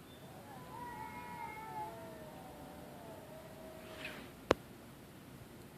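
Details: Two cats calling to each other after midnight, giving a drawn, wavering yowl that drifts downward over about three seconds, followed by a sharp click and brief rustling.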